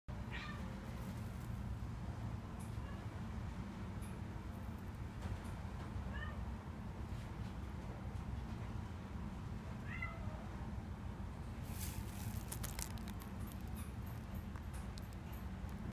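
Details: Female brown mackerel tabby and white cat, born 22 April 2018, giving a few soft, short meows spaced several seconds apart over a steady low background hum, with brief rustling noises near the end.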